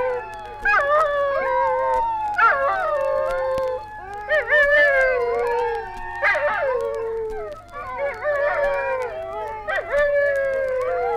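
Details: Several dingoes in Australia howl together in a chorus of long, wavering, falling tones that overlap and swell, with fresh voices joining every few seconds; from a 1968 record of Australian wildlife recordings.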